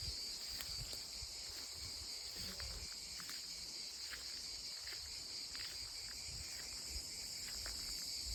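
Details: Cicadas in olive trees at their loudest fill the air with a loud, unbroken, high-pitched buzzing chorus.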